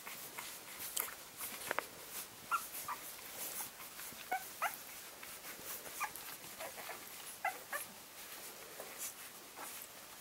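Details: Litter of 11-day-old English springer spaniel puppies, faint high squeaks and short whimpers scattered through a soft hiss, a few clicks and rustles between them.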